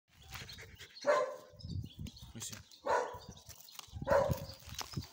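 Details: German Shepherd puppy barking at a lizard: three sharp, high barks about one and a half seconds apart over low rustling and handling noise outdoors.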